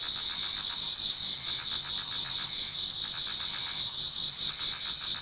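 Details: Many autumn insects sing together in a Japanese garden toward dawn: steady high trilling bands with fast pulsed chirps layered over one another, a dense continuous chorus without pauses.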